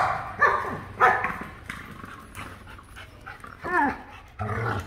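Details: Giant Schnauzer Reese at a new location, producing loud harmonic barks with a falling whine-like yelp in the middle, roughly five bursts over five seconds, with brief human speech before.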